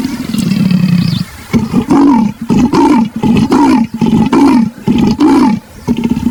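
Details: Leopard calling: a drawn-out low grunt, then about eight rasping, saw-like strokes repeated at a steady pace of just over one per second.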